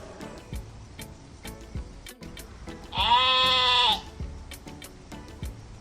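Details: Lambs bleating: one loud, steady, harmonic bleat lasting about a second, with quieter clicking and tapping sounds and faint music around it.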